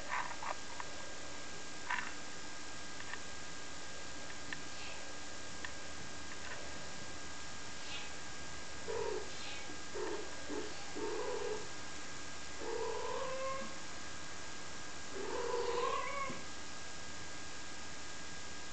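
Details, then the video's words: Domestic kittens, five weeks old, recorded on April 7th 2011, giving faint, short rising-falling meows in scattered bursts over a steady background hum, with soft low rustling between calls. "Kittens at 5 weeks old"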